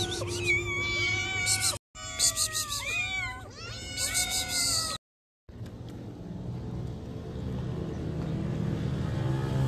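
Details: Hungry domestic cat asking for food, giving a rapid run of loud, strained, bending meows for about five seconds, then a brief silence and steady low background noise.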